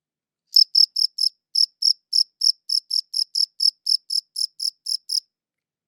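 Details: Cricket chirps captured on a good audio recorder: crisp, high, evenly spaced pulses about four per second, beginning after a short silence and stopping near the end, with a small gap early on; nothing else audible.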